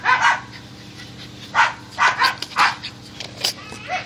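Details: Dogs hunting squirrels, recorded on an Android phone: short sharp barks and yips in bursts, about five or six over four seconds, with a faint steady hum underneath.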